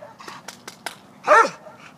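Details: Large hound mix at an adoption shelter, thought to be part bloodhound and part big retriever, recorded 26 March 2014 during training with treats; a single short, harmonic bark follows soft rustling and clicking sounds, with quiet speech nearby.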